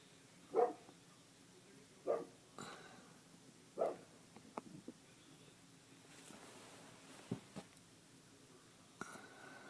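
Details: Female coonhound treeing a cat, giving three loud, full barks spaced about one and a half seconds apart, followed by fainter scattered knocks and rustling in a quiet indoor-sounding space.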